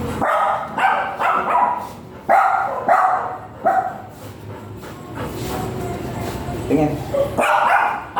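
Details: At a stud service in Binalonan, Pangasinan, a big Golden Retriever described as 40 kilos lets out a run of loud, full barks in quick irregular bursts, pauses amid background chatter, then barks again at the end.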